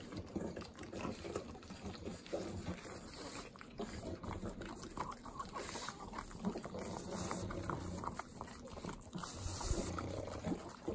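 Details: Sloppy, wet lapping from three pug dogs eating butter in the Inland Empire of Southern California: rapid continuous licking and smacking with slurpy, liquid texture and no pauses.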